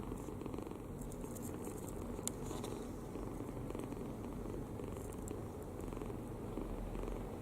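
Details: Kitten asleep with mouth open, snoring contentedly; continuous low rough rumble, even in level, with a few faint ticking sounds early on.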